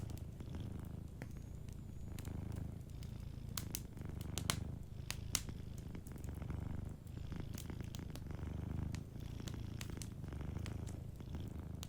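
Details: Deep rhythmic purr of a cat sleeping near a fireplace, each inhale and exhale giving a slow swell of rumbling; a cluster of sharp fire pops around the middle, lighter crackles elsewhere.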